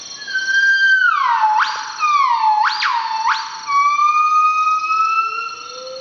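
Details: Northern buff-cheeked gibbon (Nomascus annamensis), early-morning song around sunrise in Veun Sai-Siem Pang Conservation Area, northeastern Cambodia: pure, sliding whoops swooping up and gliding down; the male sings most, a mated female joins briefly in duet.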